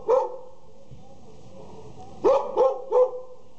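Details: Border Collie puppies offered for sale in Jalisco, Mexico: one sharp high bark, a long pause, then three quick yappy barks in a row.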